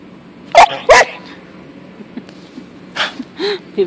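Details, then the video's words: Pet dog Punky, a female, carries on with her toy chicken: two loud breathy snort-like bursts close together, a quiet gap, then more huffs and a short bent whine toward the end. "Funny dog talking to her chicken"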